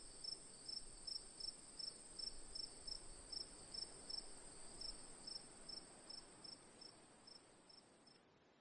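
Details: Cricket chirping in short high pulses repeated about every third of a second over a continuous high ringing trill, steady and fading slightly near the end.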